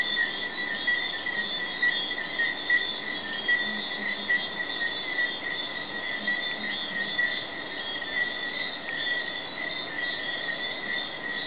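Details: Massed calling of Jamaican tree frogs after dark in Negril's Hidden Paradise, May 2008; an unbroken, ringing, high-pitched wash of overlapping trills, slightly wavering in loudness, with faint low murmurs underneath.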